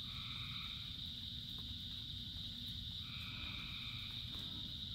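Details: Rainy-night frog chorus, thousands of frogs singing, with a sustained shrill drone and two longer two-toned calls, one early and one after three seconds, backed by steady rain noise.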